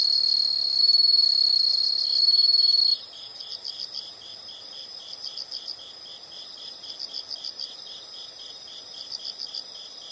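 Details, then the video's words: Insect sounds from nature: a loud continuous high buzz for three seconds, then stops, leaving softer pulsed chirp bursts repeating about every second, thin and high. "the sound of insects"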